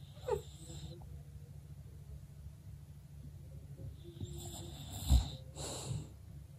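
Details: Birdie, a female English bulldog, snoring while asleep indoors; low rumbling wheezy breaths under a steady low hum, with a few louder snorts and airy bursts toward the end.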